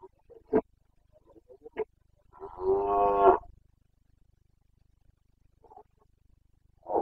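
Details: Red deer stag of the Carpathians, Bucovina, breeding season, late September 2022: a drawn-out, strongly harmonic bellow lasting about a second, swelling and fading, framed by short sharp grunts and clicks before and after.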